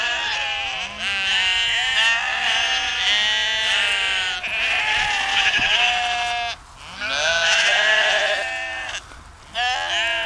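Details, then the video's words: Flock of sheep on a Zeeland dike near the Westerschelde, Netherlands, giving long tremulous bleats in overlapping bouts separated by brief pauses, roughly every few seconds. "sound of sheep"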